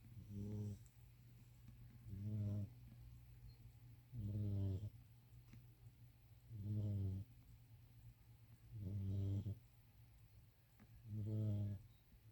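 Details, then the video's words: Pet cat snoring while asleep: low, rasping snores with stacked harmonics, one roughly every two to two and a half seconds, six in all, over a steady low hum. "My snoring kitty"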